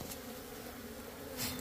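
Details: Bees at a small nest inside a hut, giving a steady low droning buzz with a faint hum throughout and a brief louder swell near the end.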